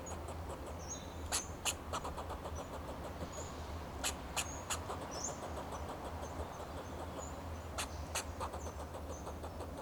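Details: A fox squirrel perched on a Monterey pine in Del Monte Forest, California, calls in alarm to protect itself and its territory. Sharp broadband chucks come in uneven clusters over a low engine-like hum, with faint high chirps.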